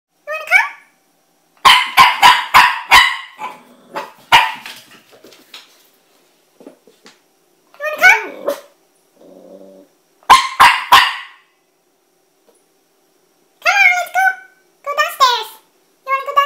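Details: Puppy afraid to go down the stairs, giving high, wavering whimpers and bursts of quick, sharp yaps in short runs, with pauses between, indoors.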